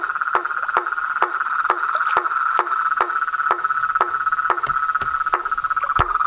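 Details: Chorus of toads, frogs and treefrogs: a steady, dense mid-pitched trilling drone runs throughout, punctuated by sharp knocking clicks repeating roughly twice per second.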